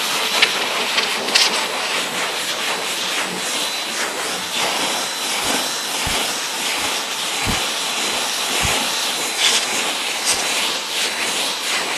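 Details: A steady hiss of spraying water fills the recording from start to finish, with a few low thumps and no animal voice heard.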